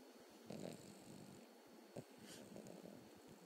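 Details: Cavalier King Charles Spaniel puppy asleep on a lap, snoring: soft raspy breaths in short bursts, a louder rough snort near the start, then quieter wheezy inhalations, all very low in level.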